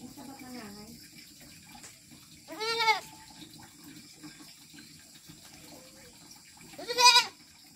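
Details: Goats at a rural pasture in the countryside. Two loud, nasal, harmonic bleats, each under a second, about four seconds apart. Soft speech-like sounds come earlier and there is a steady background hiss.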